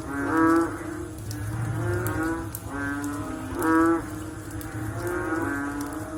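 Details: Post-rain frog calls: short, deep, harmonic notes like a distant cow's low, three loud ones among weaker overlapping callers, with a low rumble and sparse drip clicks.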